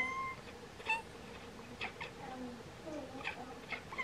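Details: Bengal cats, a pair, chatter at swallows preparing to migrate: brief, high, staccato chirps scattered unevenly through the moment, plus thin whistled tones and a faint background hum.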